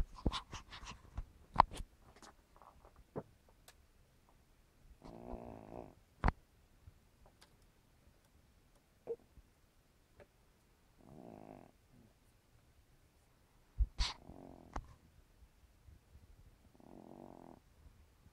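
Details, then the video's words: Sleeping elderly cat Misty, over 15 years old, snores with buzzy, ribbed breaths lasting about a second, separated by long quiet gaps, while sharp clicks and knocks sound in a small room. "Record Breaking Snoring Cat?"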